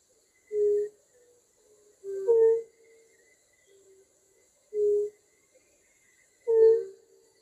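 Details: Lowland European fire-bellied toad from Poland calling in soft, musical, hooting notes, each short and even in tone. Pairs of slightly different-pitched notes overlap, suggesting more than one caller. Spaced irregularly, roughly every two seconds, over a quiet background.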